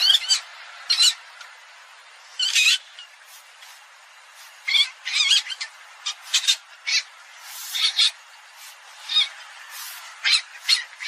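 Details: Common palm civet making short, sharp squeaky calls, grouped in scattered bursts of two to four notes with quiet gaps between them.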